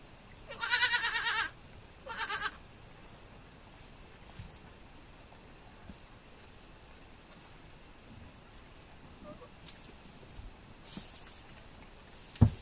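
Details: Baby goat on a farm: one loud quavering bleat followed by a shorter second bleat, then mostly quiet with faint distant bleats and a sharp knock at the end.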